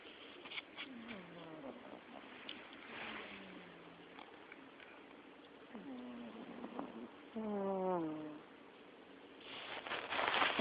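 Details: Pet cat asleep and snoring indoors, with low, droning tones that slide downward, repeated roughly every two to three seconds. A louder, buzzier wavering breath comes near the end, followed by a burst of rustling.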